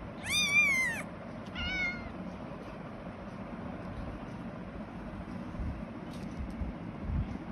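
A Persian kitten gives two thin, high-pitched meows, the first longer and wavering, the second brief.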